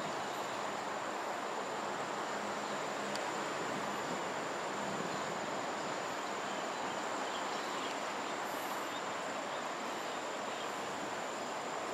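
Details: Steady broadband hiss and rumble like a passing train fills the whole stretch, with a faint high electrical whine and no clear animal calls.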